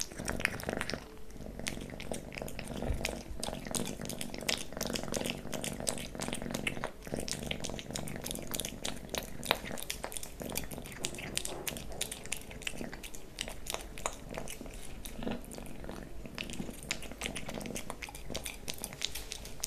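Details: Young pet cat Leo feeding on wet pate and creamy treats, continuous close wet licking and smacking clicks with a soft underlying purr, indoors in a small room.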